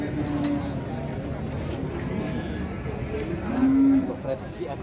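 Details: A giant cow at a market, waiting to be weighed: a low, steady moo toward the end, set against a crowd's chatter and a busy, noisy market background.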